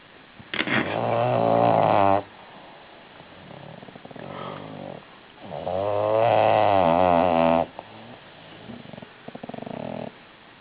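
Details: Female bulldog snoring loudly; two long, rasping, buzzy snores about five seconds apart, each lasting around two seconds, with soft wheezy breaths between them.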